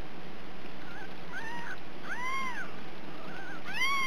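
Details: Ragdoll kittens born and raised in a home cattery in central Kansas without cages; three rising-then-falling mews, the last two louder and fuller, over a faint steady hiss.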